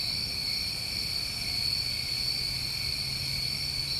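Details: Continuous high, even trilling from New England summertime crickets, a constant two-band insect drone with no breaks, over a faint low hum.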